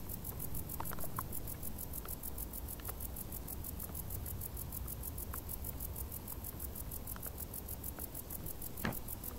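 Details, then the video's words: Crickets chirp in tall summer grass with quick, regular high-pitched pulses repeating throughout, set against a strong low background rumble and occasional light tapping sounds. "Grilli | suoni dall'erba alta"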